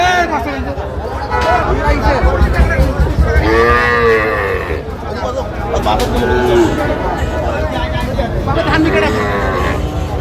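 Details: Young cattle calves, about five to six months old, for sale at a Bangladeshi market, giving a few moaning, wavering calls amid steady crowd chatter and background noise.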